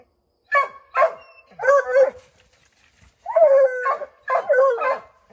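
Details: Redbone Coonhounds Bo, Luke, Lulu, Cooter and Jesse baying at a chipmunk up an oak tree, trying to drive it out: five loud harmonic barks and drawn-out bays in two bursts, some rising into short howls, with gaps of silence between.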